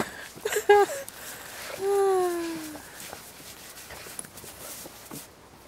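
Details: Bloodhound Wilma playing in snow, which she positively loves: a high tonal whine near 0.7 seconds, then a long smooth whine sliding gently downward for about a second, followed by soft rustling and footsteps.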